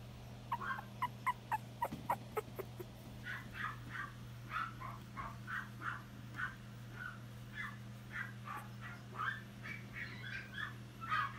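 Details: Female Yorkshire Terrier puppy filmed on 8 June 2018 gives short, high yips and whimpers, repeated about twice a second in an even run, over a steady low electrical hum.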